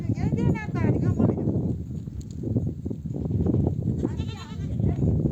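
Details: Ewes in a nomadic herd come home from grazing and bleat to bring their lambs to nurse; two clear tremulous bleats, one at the start and one near the end, over a background of talking people and moving animals.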